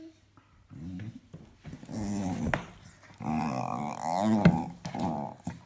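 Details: Indoors, a pet dog makes funny noises: a string of low, growly, grumbling moans rising and falling in short bouts, with a few sharp taps between them.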